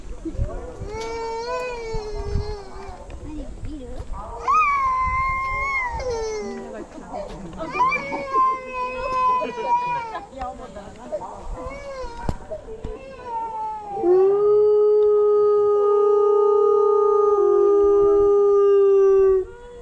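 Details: Gray wolves in the wolf forest enclosure at Asahiyama Zoo, Asahikawa, Hokkaido, howl, ending in one long, steady, slightly falling note held for several seconds.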